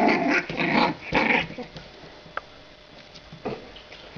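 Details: Rough, noisy growling bursts from 45-day-old French Bulldog puppies, a pair of sisters born 23 December 2011, fill the first second and a half. Faint scuffles and a few small clicks follow.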